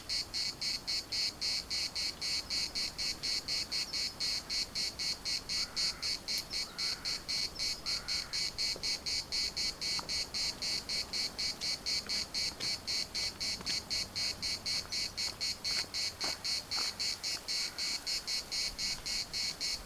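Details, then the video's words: Cicadas in the municipal park of Larnaca, Cyprus, pulsing in a dense, buzzy chorus of rapid regular pulses, about four per second, with brief faint chirps of other birds rising through the background. "CICADAS at the municipal Park Larnaca"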